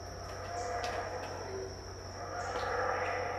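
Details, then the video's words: Around 6am at Tikal in Guatemala, 2018, unseen howler monkeys roar in a continuous low, rough chorus that builds slightly toward the end, with a constant high-pitched insect drone behind. "THE SOUND OF HOWLER MONKEYS"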